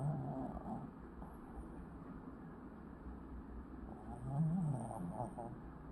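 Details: Nimmo, a pet Lhasa Apso, snoring while asleep indoors: a low, rough, rumbling drone with a brief rising snort near the end.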